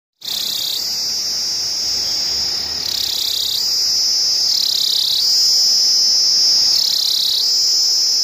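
A cicada gives a loud, continuous high-pitched buzz that steps slightly up and down in pitch.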